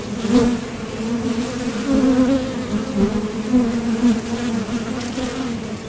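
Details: Honeybees at a Top Bar Hive entrance, leaving and landing during nectar foraging, produce a steady humming drone whose pitch wavers slightly as bees fly close, with louder swells at the start and around two and four seconds.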